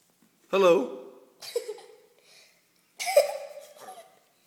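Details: Frog caught from a backyard pond, screaming in distress like a cat: three loud outbursts, each opening harsh and raspy before settling into a drawn-out nasal wail, separated by short silences indoors.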